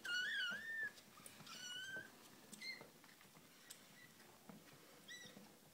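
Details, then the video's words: Kittens five weeks old, mewing loudly: a high, wavering cry opens, followed by several shorter thin mews that rise and fall, with soft rustling and scuffling between the calls. "5 week old kittens"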